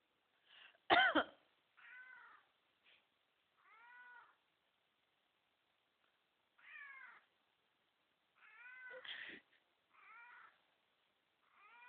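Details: Jasper, a pet cat, has begun meowing whenever its owner coughs; rich, mid-pitched meows, several slightly falling, come every one to three seconds, with two loud coughs breaking in.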